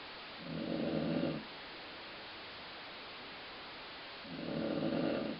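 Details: Sleeping dog Colline Ford snoring, with a sound compared to stomach growling. Two drawn-out, grumbling low snores, about a second each, separated by a quiet pause of roughly three seconds, over faint background hiss.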